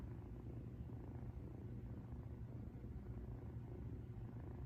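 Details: Rescued female cat purring contentedly while resting, recorded at high volume; a continuous deep, even rumble with soft rhythmic pulsing and no other clear sounds.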